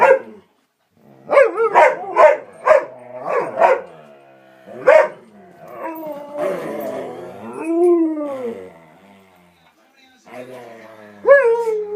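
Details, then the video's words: Excited household dogs, three together, noisily playing before their walk: a quick run of five barks, a single bark, then drawn-out rising-and-falling whining howls and a final yelp. "doggy play noises"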